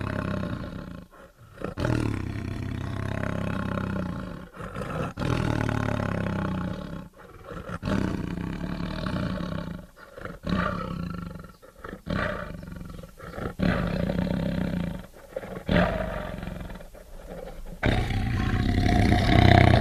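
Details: Tiger roaring and growling continuously, deep rumbling bursts repeated every few seconds with short gaps, rough and low-pitched throughout.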